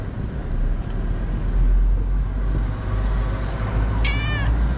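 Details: Calico cat in Morocco with a gentle meow, wanting love and food: one brief high, wavering meow near the end, over heavy low traffic rumble.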